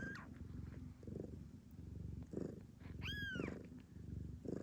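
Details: Blue bicolour Ragdoll queen in Australia purring just after delivering her first kitten. Continuous deep, pulsing purr, with one rising-then-falling high mew near the middle and soft human murmurs.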